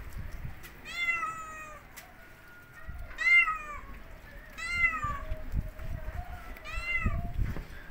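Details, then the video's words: Domestic cat outdoors in snowy winter, natural surroundings in Turkey: four drawn-out, nasal meows about every one and a half seconds, each rising then falling, over low rumbling background noise. "kedi sesi"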